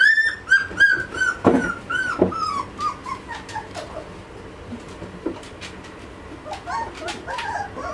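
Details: Two-and-a-half-week-old Malinois puppies from the Amyra x Fenris litter; a run of clear, high, slightly falling whines about once per second at the start, then softer squeaks and shuffling noises.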